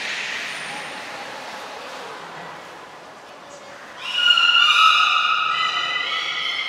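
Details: Beluga in training at Port of Nagoya Public Aquarium on 25 July 2021, a shortened session: after quiet crowd noise, a loud bout of rich harmonic, squealing calls with shifting pitch bands, held for the final few seconds.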